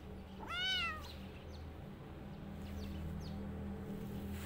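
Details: Single clear kitten meow, rising then falling, loud and tonal, from a kitten running away and hiding in a jacket; afterwards only a steady low hum and faint faint squeaks.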